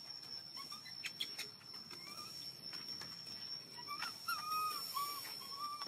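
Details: Baby monkey, hungry and asking for milk, gives short thin whimpers early on, then a cluster of sharper arched cries toward the end, amid tapping, rustling and a constant high-pitched electronic whine.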